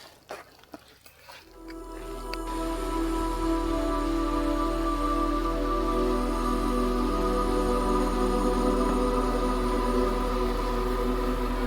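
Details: Sustained, layered ambient music tones swell after a brief scuffling, crackly start on an Alpine trail, with no animal voice heard.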